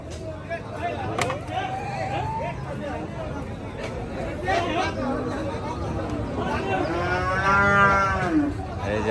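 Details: Water buffalo at a village livestock market, calling with a long, rising, harmonic bellow near the end, over steady crowd chatter and market noise.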